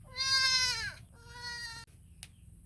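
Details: Baby goat calling its mother: a loud, quavering bleat of about a second, falling slightly at the end, followed by a softer, steadier second bleat, then a brief click.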